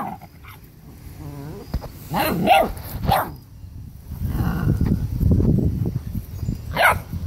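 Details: Seven-week-old Rottweiler puppy guarding food from its siblings, a dominant male with his sister objecting; low rumbling growls with short harsh barks and snarls, several bursts over a few seconds, with scuffling and handling noise.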